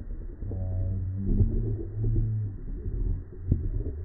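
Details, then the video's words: Cow mooing in a low, drawn-out tone with stacked harmonics, a deep lowing call lasting around two seconds, with a muffled rumbling background. "Mooing,cow sound"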